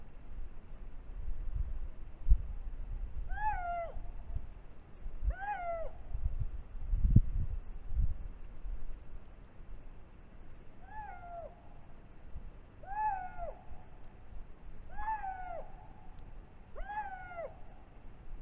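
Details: Wild lynx calling in spring at Matsalu National Park, Estonia, captured by a trail camera: six drawn-out, downward-bending mewing wails with harmonics, spaced roughly two seconds apart, over low rumbling background noise.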